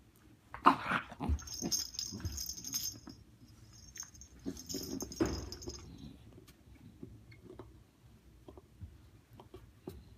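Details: A 7-week-old female Great Dane puppy plays with her toys in bed at bedtime. Two short, rough, breathy whimper-grunts come early and again midway. Between them are scattered rustles and soft knocks from bedding and toys.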